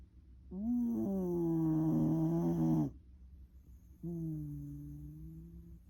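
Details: A Shiba Inu, a former rescue dog, snores loudly in two long, droning, rattling breaths.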